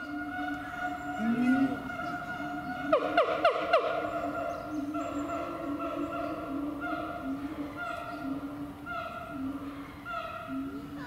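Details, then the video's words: At Chiba Zoological Park, Japan, a siamang calls with long, steady, resonant hoots broken by a quick burst of loud, pulsing barks. "驚きの鳴き声と身体能力「フクロテナガザル」〜千葉市動物公園の動物〜"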